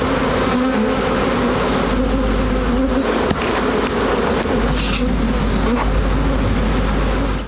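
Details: Bees give a steady, low droning buzz that hums on without a break, beside a crackling fire.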